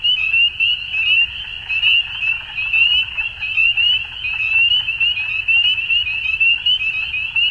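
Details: Many frogs calling together at dusk, a bright, high, buzzing chorus of rapid rising notes that never pauses and rises and falls in loudness about once a second.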